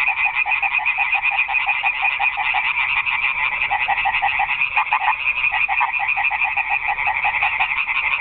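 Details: Many frogs croak at night in a garden pond, forming a thick, buzzing, pulsed chorus. A few louder individual croaks stand out around the middle.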